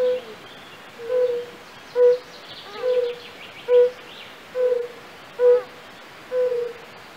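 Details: Pleasant, soft calling of a European fire-bellied toad in a castle-park pool at Raduň, Opava district, Czech Republic. Eight short, mellow, low hoots repeat roughly every second, with faint high twittering behind.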